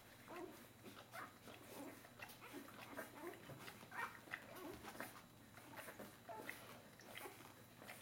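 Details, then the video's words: Bernese Mountain Dog puppies, four days old, crowding to nurse at the milk bar: busy overlapping soft squeaks, grunts and whimpers with suckling noises, quiet and continuous throughout. "Berner Sennenhund Welpen 4 Tage alt"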